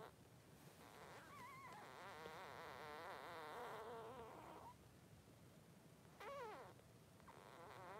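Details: Newborn Blenheim Cavalier King Charles Spaniel puppies, three days old, in their pen with their mother: faint wavering whines and squeaks in a long quavering run, then a short sharper whimper after a pause, over steady low background hiss.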